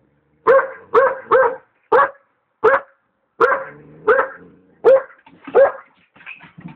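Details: Malamute puppy excitedly barking at a passing hot air balloon, a steady run of nine sharp barks roughly every half second to second, the last ones softer and more whining.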